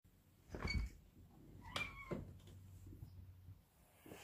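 A domestic cat gives two short, bright meows, each rising and then falling.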